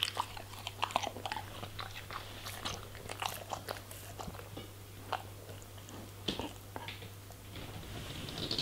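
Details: Crunchy, irregular bites and mastication from a German Shepherd eating vegetables and fruits, with sharp clicks scattered every fraction of a second and a constant low hum underneath.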